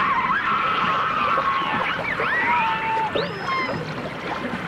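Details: Dolphins and orcas vocalizing underwater in a 1989 stereo recording: thin, sliding whistles that sweep up and down, some long level tones, overlapping over a steady watery hiss.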